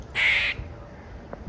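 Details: A squirrel stuck up in a house, unable to get down, barks incessantly, a Donald Duck-like "quaaa". Here it gives one loud, harsh, raspy bark, followed by near silence.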